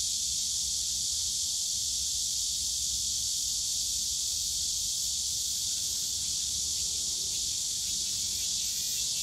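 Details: Many cicadas shrilling in a park bamboo grove at Yongsan Family Park on a summer day, a constant bright hissing drone with no pauses, over soft low ambient rumble.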